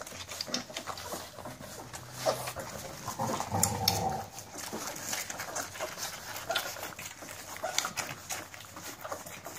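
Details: Pure-breed American Staffordshire Terrier puppies at feeding time: rapid scattered lapping and chewing clicks throughout, with a short whining tone rising out of the mix near the middle, and a little human speech.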